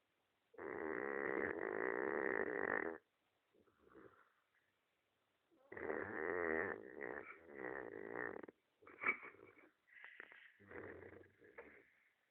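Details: Pet dog Jake snoring: a long loud rasping snore, a faint breath, then a run of choppier snores and snuffles.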